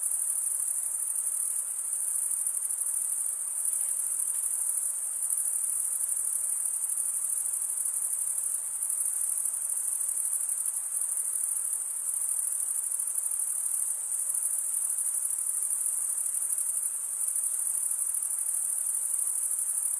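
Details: A continuous shrill cricket chirping drone, very high and constant, with only slight swells in loudness and no other animals or background noise.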